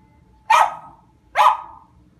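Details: West Highland White Terrier, a female pet, barking excitedly: two sharp, loud barks about a second apart, each a brief noisy burst.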